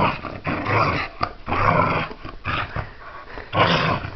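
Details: Playful Pembroke Welsh Corgi tussling with tupperware gives raspy, huffing growls in bursts about every second, with clattering plastic between them.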